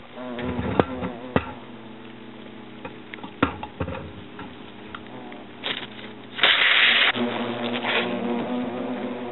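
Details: European hornets at a nest inside an oak trunk in Agen, France, during the nest's destruction: a droning hum broken by sharp knocking impacts, with a loud hissing burst about two-thirds of the way through.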